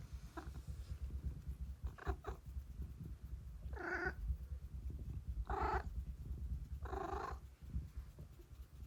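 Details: Massaged house cat lets out involuntary growls of pleasure. Short clipped grunts come first, then three drawn-out moaning growls about a second and a half apart, all over a deep continuous purr.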